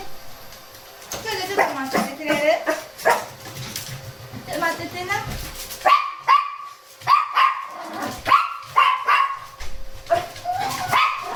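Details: Shih Tzu complaining during a cool morning walk alongside a Miniature Pinscher, one of several dogs kept together; a human voice comes first, then a run of short rising whining yelps, some with a wavering pitch, over steady background music.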